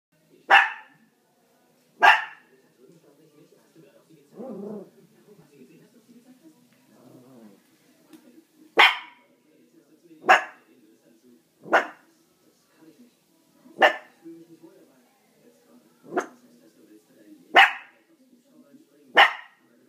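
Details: Chihuahua barking in sharp, high, clipped yaps, about ten single barks spaced one to two seconds apart with irregular pauses, faint low rustling and murmuring between them.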